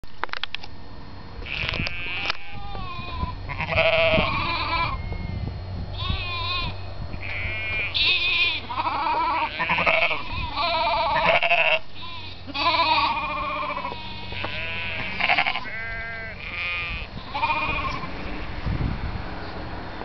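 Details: Sheep in North Yorkshire bleating repeatedly, several wavering, quavering calls overlapping in quick succession, some higher and some lower as if from more than one animal, with low rumbling noise beneath.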